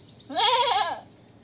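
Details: Goat giving a single wavering bleat of about seven tenths of a second, nasal and strongly harmonic, with a faint low hum underneath.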